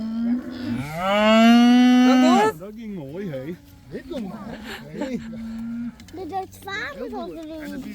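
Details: One of about 80 cows let outside for the first time gives a loud, sustained bellowing moo. Wavering, lilting lowing from other cows and short calls follow.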